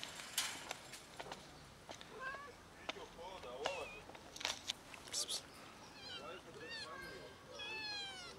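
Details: Hungry kittens climbing down a garage for food, giving repeated short high meows with harmonic stacks, several voices overlapping, mixed with clicks and bumps and a rising, wavering meow near the end.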